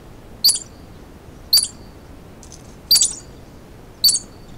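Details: Terrified squirrel hiding in rocks from a hunting gray fox gives a warning call: sharp high chips repeated roughly once a second, five in all, over quiet background.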